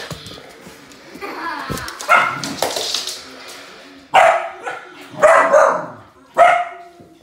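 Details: Samoyed dog playing with a remote-control car, letting out several loud barks and yelps at uneven intervals, with some rustling and background noise in the first half.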